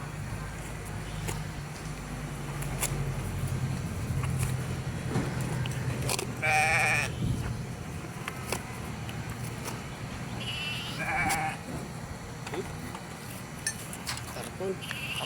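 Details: Hungry sheep in a yard in Candelaria, eating cardboard because there is not enough grass; a loud quavering bleat rises near the middle, a fainter one follows later, over people talking and steady background noise.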